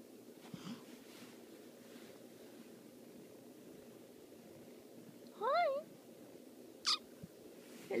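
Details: A cat gives a single faint meow that rises and then falls, with a clear harmonic stack, followed by a brief sharp squeak, over steady low background hiss.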